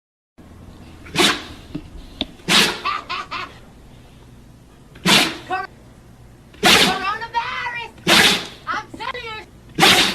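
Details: Steel, a Siberian Husky, gives a series of sharp, breathy sneezes between bursts of human talk.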